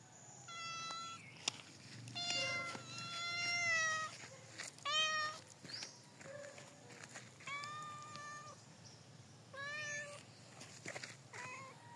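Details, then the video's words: Domestic cat in the province giving a run of short, clear harmonic meows in quick succession, about one every second or so, some rising and falling in pitch, with faint clicks and background hiss. "CUTIE CAT MEOW LOVE | LIFE IN THE PROVINCE | JUST MEOW MEOW"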